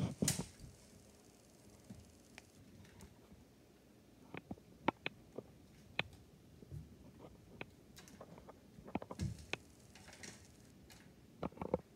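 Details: Indoor room ambience with scattered sharp taps, patters and soft thumps from play, with no animal calls.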